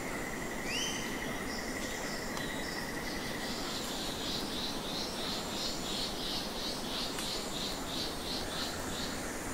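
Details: Thousands of nectar bats in Goa Lawah cave, Bali, Indonesia, squeak and squawk: a steady run of high pulsed squeaks repeating about three times a second over a dense, constant roar of crowd noise, with a rising whistle early on.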